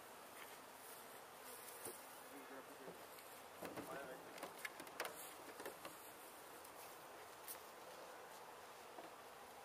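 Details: Honey bees from a gentle hive that had lived in a house window in Edinburg, Texas, for at least one season, being removed near sunset; soft, steady broadband buzzing with scattered clicks and brief louder swells.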